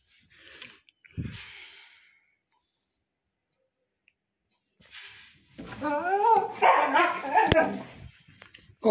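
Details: Husky trying to hide chapati under the bed indoors: after a quiet pause, a burst of wavering, yodel-like grumbling and whines rises and falls for about three seconds, with a person speaking and a sharp knock.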